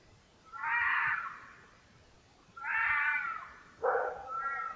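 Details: Trail camera recording of a red fox in the rutting period giving loud raspy screams, two long strained cries followed by a shorter broken one, with quiet background between them.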